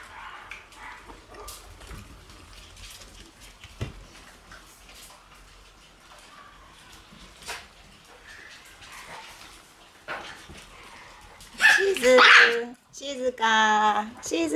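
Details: Shiba Inu puppies in a kennel room on August 28: a long stretch of soft rustling and faint sounds, then loud high-pitched yelping and whining cries bursting out over the last three seconds.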